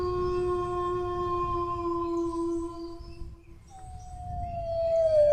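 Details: Dog howling in a long, steady, even-pitched tone for over three seconds. It breaks off, then a second howl starts higher and slides slowly downward. A low rumble of background noise runs underneath throughout.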